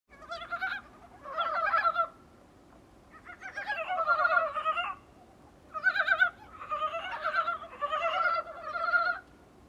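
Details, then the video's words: Dybowski's brown frogs, recorded from a small room's window, give bursts of rapid, clucking, gobble-like croaks in overlapping runs. "북방산개구리 울음소리"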